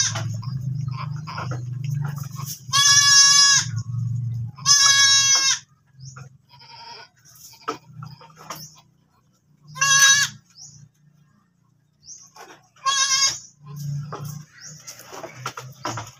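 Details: Goat that has just given birth again, calling in a series of short, vibrato bleats, two close together early, then two more spaced several seconds apart, low rumbling hum at the start.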